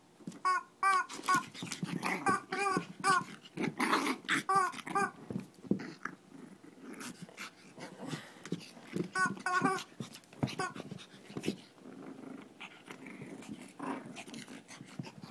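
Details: Shih Tzu mini fight from Kochi, Japan: early volleys of shrill yips give way to rumbling growls and scuffling noise, with a few late whimpering yelps.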